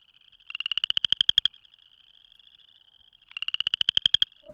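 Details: Male spring peeper calling for mates at a small pond, microphone held inches away, a female nearby seemingly listening; two loud rapid buzzy pulsed trills about a second each, over a steady high-pitched chorus in the background.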